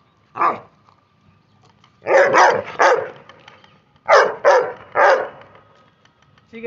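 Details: Labrador Retriever playing in India, barking sharply and harshly: one single bark, then two tight runs of three barks about two seconds apart, with a thin steady tone behind.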